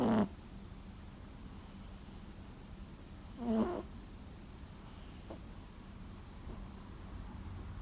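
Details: Toy Poodle Sara, a former rescue dog, rarely snores while sleeping; here just two rough snorts, one at the start and another a few seconds later, separated by near-silent room hum.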